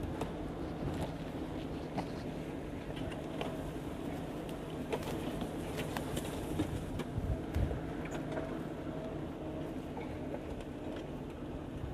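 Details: Steady low engine rumble and outdoor noise with scattered clicks and knocks, but no clear animal call.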